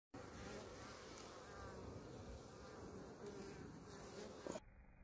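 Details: A swarm of honey bees in flight at the beginning of March 2020 makes a dense, steady buzzing drone of many overlapping wingbeats.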